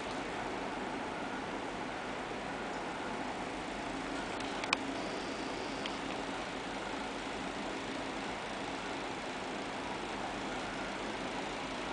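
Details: A steady hiss like a fan runs throughout, with a single faint click near the middle.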